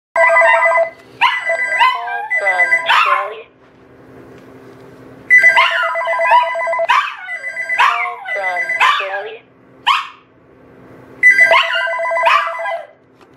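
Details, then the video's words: Chinese Crested dog lying in its bed by a patio door howls along with a ringing telephone; the repeated electronic ring alternates with wavering, sliding howls and yodel-like wails, with a person speaking at times. "Monkey Howling at Phone"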